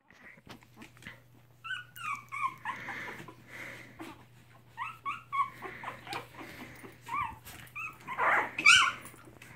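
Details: Three-week-old mixed Chihuahua puppies in foster care with their mother give a busy run of short, high squeaks and yips, overlapping and repeated through the whole stretch, over a low steady electrical hum.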